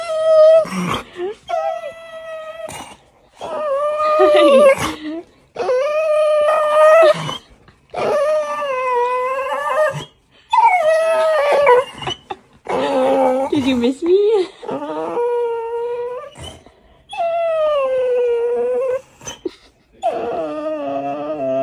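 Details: Female dog gently asking for scratches, giving a string of drawn-out, howl-like whines in bursts of one to two seconds, each wavering and bending in pitch, with short pauses between; a person's voice is heard at times.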